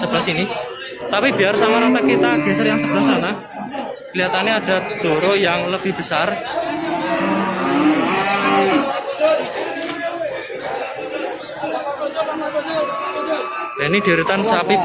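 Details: Cattle at the Babat cattle market in Lamongan, East Java, on Tuesday 29 September 2020, where cows with calves and pregnant heifers are sold. Several drawn-out, harmonic moos rise over a steady backdrop of crowd chatter and bargaining voices.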